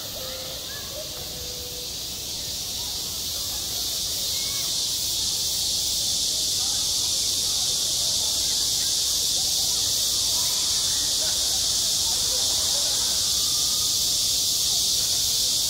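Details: Cicadas singing in high summer at a school playground: a dense, unbroken high-pitched buzzing hiss that holds steady and swells slightly in loudness over the first seconds, with a few faint low tones beneath it.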